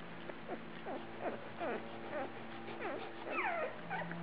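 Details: Australian Shepherds at feeding time, recorded September 12, 2010: a steady series of high, squeaky whimpers, each sliding up or down, coming roughly twice a second over a constant low hum.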